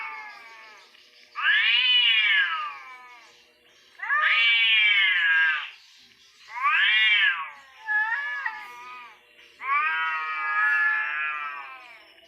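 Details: Fighting orange cats give long, strained yowls rising and sagging in pitch, five bursts over twelve seconds, one broken into short wavering notes, separated by brief lulls.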